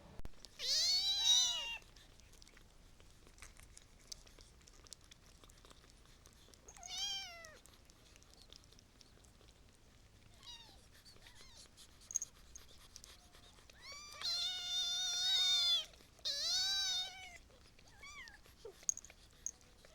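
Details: Kittens meowing indoors: high, harmonic-rich mews with a falling or arched pitch, heard in bursts near the start, once around seven seconds, and as a run of several overlapping cries between fourteen and seventeen seconds, with quiet gaps between.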